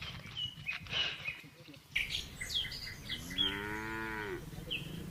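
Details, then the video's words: Village red cow grazing contentedly with another cow gives one short, slightly falling moo near the end, amid busy bird chirping and rustling noise. "Village Cow Mooing, Cow Sound, Red Cow Eating Grass Food Very Very Contentedly With His Friend"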